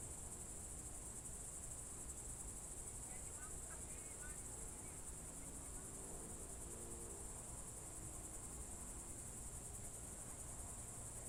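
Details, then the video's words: Evening chorus of crickets in June 2023 at Novye Buregi, Novgorod Oblast, Russia: continuous high, even buzzing trill with no breaks, faint short chirping notes briefly in the middle, soft low ambient rumble beneath. "Звуки природы , сверчки"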